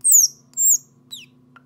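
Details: Baby squirrel separated from its mother giving two drawn-out, shrill squeals that slide downward, then a shorter, fainter falling squeak, over a soft low hum.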